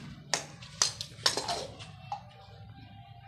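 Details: Quiet indoor music with a few sharp tapping knocks and a sustained tone near the end; no animal call is heard.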